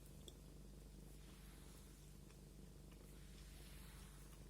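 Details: A pet cat purrs steadily as it is combed, a deep even vibrating rumble running unbroken through the whole stretch, with faint rustling of fur and comb above it.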